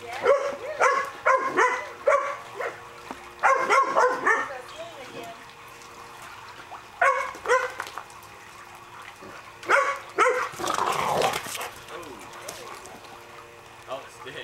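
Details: Two Boxers, Brock and Jack, at play outdoors on a pool cover; bursts of rapid, ringing barks in clusters separated by quieter pauses, with a person talking and scuffling, watery noise in between.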